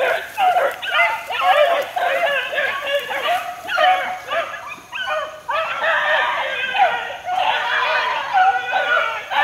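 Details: Beagle pups aged four months working in the wild, a pack of overlapping yips and arched bays pulsing roughly twice a second, rising and fading in waves.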